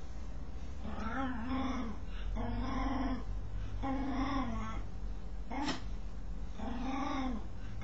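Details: Scratching dog voicing strange noises: wavering, arched groaning tones in a regular series about every second, with one sharp click partway through.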